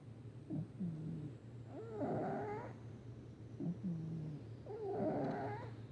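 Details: Snoring from the sleeping male cat Patches, slow cycles of a short low grunt-like inhale and a long raspy whistling exhale, two breaths about three seconds apart, with a steady low background hum.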